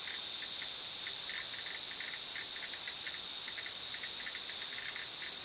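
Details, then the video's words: Steady, intense cicada drone, a shrill hiss-like buzz sustained without a break, accompanied by many short, soft chirps in the background. "蟬 cicada"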